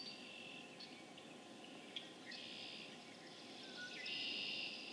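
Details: Spring peepers calling en masse on April 27, 2011 in Harvard, Massachusetts; a steady high-pitched wall of overlapping peeps, with a louder surge of calling building toward the end and a few brief upslurred notes standing out.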